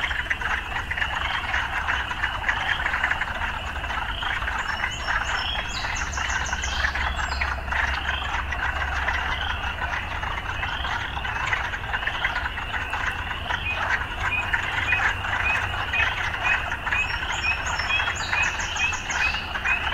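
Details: Frogs croaking amid urban life: an unbroken buzzing chorus over a low rumble like distant traffic, with brief high chirps now and then.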